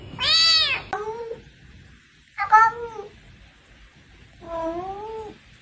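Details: Cat meowing three times with gaps between them: a bright, arched first meow, a shorter second, then a lower, flatter, slightly wavering third. The room is otherwise quiet.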